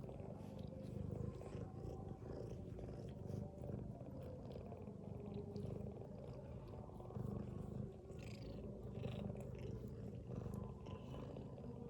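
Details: Mother cat dozing with her kittens produces a constant deep rumbling snore, gently swelling with each breath, over soft intermittent rustles and clicks.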